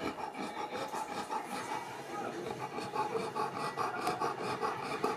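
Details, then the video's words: Boerboel named Yzer, a mastiff, struggling to sleep on a very hot day and overheating; fast rhythmic raspy panting, about two to three breaths per second, steady throughout. "Boerboel suffering from heat"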